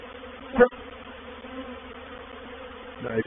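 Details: Reproductive honey bee swarm entering a swarm trap at Painted Peacock Manor, 04/07/21. A constant droning hum is broken by a short, loud buzz as a bee passes close, and another rising buzz at the end.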